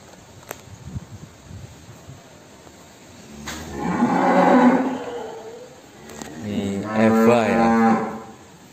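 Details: Cattle in the Kandang Lembu Benggolo pen, part of a breeding programme that produced a newborn calf. Two long, deep, harmonic moos, the second richer and wavering, separated by quiet pauses with faint knocks and background hum.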